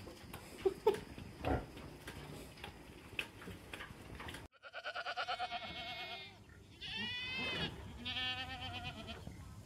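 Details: A male billy goat on a small family farm calling: after some handling noise, loud, wavering bleats with a shaky, trembling tone come in bursts, three long calls in the second half.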